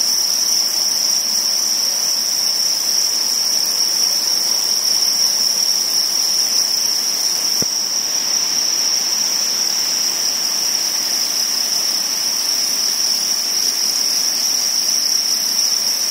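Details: A constant shrill ringing from crickets at spawning time runs through the whole stretch, interrupted only by a single sharp click about halfway.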